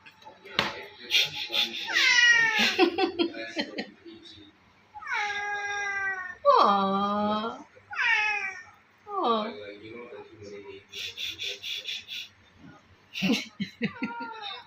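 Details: A playful house cat making strange vocal sounds: a run of varied meows, some rising then falling, one long whining cry, and short chirpy calls. A person talks and laughs between the cat's calls.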